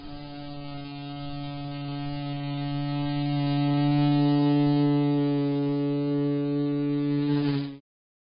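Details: A bumble bee that keeps visiting a security camera gives a steady, low, droning buzz that swells slightly and stops abruptly.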